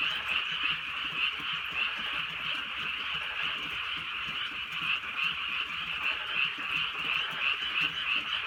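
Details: Night-time frog chorus from a Korean rural area in drizzle, constant overlapping croaks in a high band, swelling and easing in rapid beats, light rain heard underneath.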